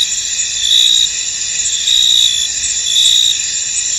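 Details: Fog-covered field with crickets calling: a constant shrill insect chorus, with three louder drawn-out trills each lasting about half a second and recurring at regular intervals over a steady hiss.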